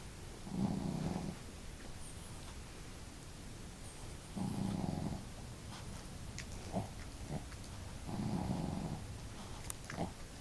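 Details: Two pet dogs snoring together indoors, one of them female with a loud, hearty snore and the other snoring softly: low rumbling snores about every four seconds, with faint clicks in between.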